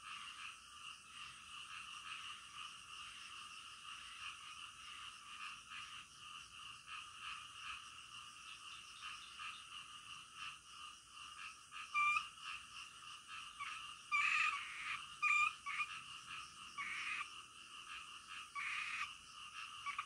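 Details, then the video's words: Nighttime frog chorus, many callers overlapping in a continuous pulsing drone, with louder bursts of sharp croaks and short whistled notes clustering from about twelve to nineteen seconds, some possibly insects mixed in. "SUARA KODOK DITENGAH MALAM"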